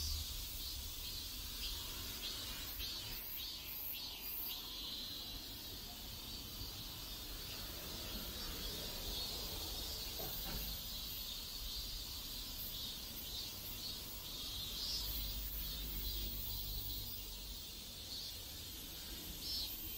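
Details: Cicadas singing in a South Korean neighborhood: a steady, high-pitched buzzing chorus with faint pulsing bursts, heard over a low rumble of distant background noise.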